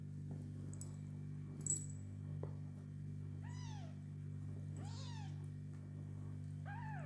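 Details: Domestic cats with their kittens: three clear meows, each rising then falling in a drawn-out arc. They come about a second apart in the second half, over a steady low hum and a faint thump.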